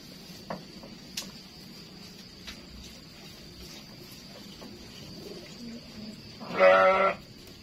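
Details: Goat giving a single short bleat near the end, a buzzy, wavering cry lasting under a second, after several seconds of quiet background hiss and a few faint clicks.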